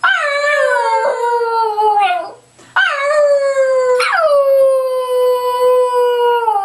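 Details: A Cairn Terrier howls on command, giving long, wavering "singing" howls that start high and slide slowly downward.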